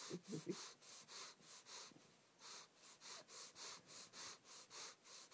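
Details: A male Boston Terrier breathes loudly in rhythmic huffs through his nostrils, each a broad hissing puff about three times a second.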